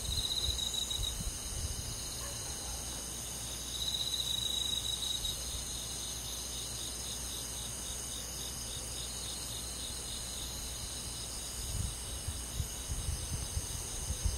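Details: Crickets and other grass insects on a rural summer night in a forest, a layered chorus of steady high, finely pulsed trills and chirps that carries on without pause, with a low rumble rising briefly near the end.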